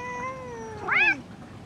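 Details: Mother Bengal cat with her kitten, calling while her owner speaks soothingly: a single short, bright meow that arcs up and falls within about a third of a second, following a steady faint tone, with quiet room noise.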